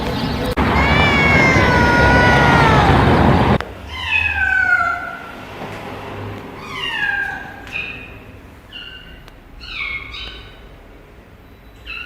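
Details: Domestic cat meowing loudly and oddly: a long, strained meow masked by heavy rushing noise, then a clearer series of short, falling meows repeated roughly every second.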